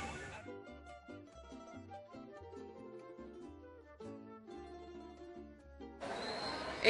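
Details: Instrumental music plays steadily, ending in a burst of broadband noise, with no animal voices heard.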